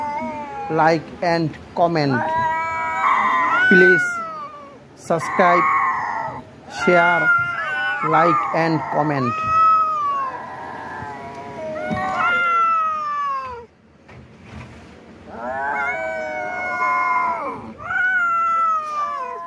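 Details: Cat in a fight, a series of harsh, wavering yowls with rising and falling wails, broken by short sharp bursts and brief pauses; a human voice may be mixed in.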